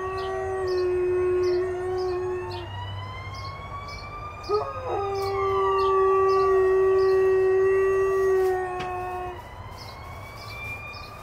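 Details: An 8-month-old Alaskan Malamute howls when it hears sirens: two long, flat, sustained howls separated by a short break, over rising and falling siren wails and faint high periodic beeps.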